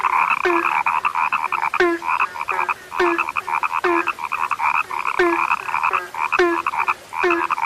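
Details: Rare frogs calling together: rapid trains of twangy croaks with sharp rising clicks, and a deeper short note recurring regularly beneath, the chorus nearly unbroken.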